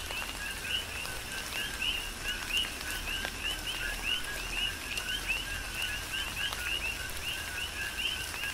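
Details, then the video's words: Coqui frogs on the Big Island of Hawaii in tropical rain, giving clear repeated two-note calls, a short low tone followed by a brighter rising whistle, roughly twice a second, with raindrops pattering throughout. "Tropical Rain & Coqui"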